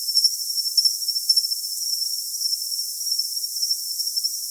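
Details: Cricket call for tinnitus masking: a shrill, steady high tone broken by quick stuttering chirp bursts, strongest in the first second and then evening out into a smoother ringing trill.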